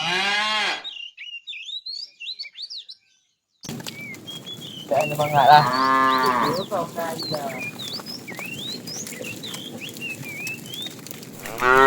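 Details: Tame cows roaming a road looking for food give deep, drawn-out moos while small birds chirp steadily in the background.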